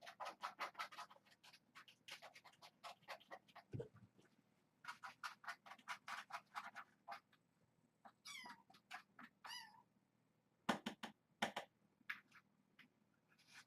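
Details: Foster kittens, the Hitchhiker litter with mother cat Alice, at dinnertime as canned food is served indoors: rapid strings of short repeated meows, many overlapping voices, with a few longer wavering cries and quiet pauses between bursts.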